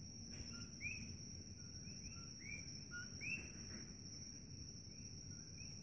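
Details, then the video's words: Several coqui frogs call at night in Holualoa on the Kona Coast of Hawaii's Big Island, a two-note 'co-qui', a low short note followed by a higher rising chirp. "Coqui Frogs Chirping Noise - Holualoa, Kona Coast, Big Island, Hawaii"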